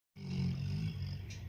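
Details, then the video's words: Fourteen-year-old black Labrador snoring while asleep: one long, deep, rumbling breath lasting over a second, steady low drone with a faint higher hiss. "14 YEAR OLD BLACK BEAUTIFUL LABRADOR SNORING WHILE SLEEPING"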